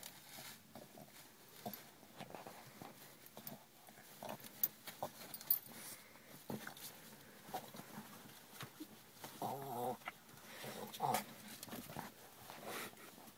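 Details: Female Boston Terrier indoors, upset about her winter jacket and working to get the coat off; quiet scattered snorts and rustling, then short harmonic whining grumbles near the end.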